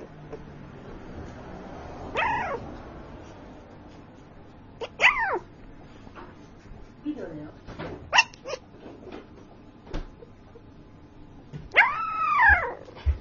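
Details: Dreaming puppy talking in his sleep: soft arched whimpers and squeaky yelps near two, five and twelve seconds, with small muffled squeaks between, in a quiet indoor room.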